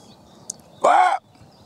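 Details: A roe buck answers a man's imitated barks with one gruff, rasping bark lasting under half a second, its pitch arching up and falling away, and it seems wary; a faint click comes beforehand, otherwise quiet.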